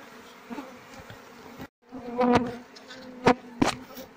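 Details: Low droning hum of Apis cerana workers in a queenless hive, the honeycomb emptied of larvae, punctuated by loud thumps and crackles as comb is handled during a search for the missing queen.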